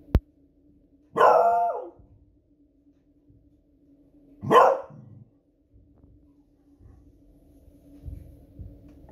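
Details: Alarmed by noisy fireworks one Friday evening, the Beagle Smudge lets out two loud, separate barks about three seconds apart, the first long and harmonic-rich; a click opens the recording and soft low rumbles follow.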